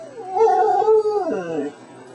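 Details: Twelve-year-old female pet dog, trained to say "I love you" and eager to please, gives a drawn-out, wavering, howl-like vocalization lasting over a second, with bright harmonics that dip and fall at the end in a quiet room.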